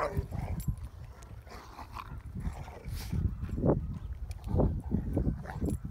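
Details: Three Rottweiler dogs playing and fighting together, giving low rough growls and a few short sharp barks in bursts, with scuffling and rustling noise throughout.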